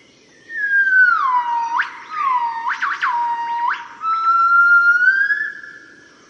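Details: Morning song of a yellow-cheeked gibbon family (Nomascus gabriellae), Cat Tien National Park, Vietnam, 15 March 2013: pure, swooping whistled notes that slide down, then leap upward in quick whoops.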